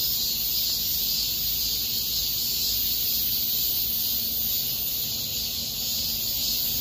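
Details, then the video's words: In Mirae Sarang Park during August 2021, massed cicadas produce a constant piercing high-pitched drone with a soft wavering pulse, holding steady across the whole stretch. "공원 매미소리"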